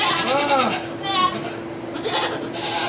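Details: Goat in labour, delivering two kids inside a Quebec sugar shack: a few short, wavering bleats rise and fall amid people talking in French, with a constant low electrical hum beneath.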